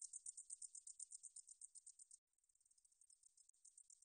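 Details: Katydid known as 등줄어리쌕쌔기, recorded in 2020 by Korea's National Institute of Biological Resources: fast, high, buzzy pulses that drop suddenly to a much fainter, softer series halfway, then strengthen again toward the end.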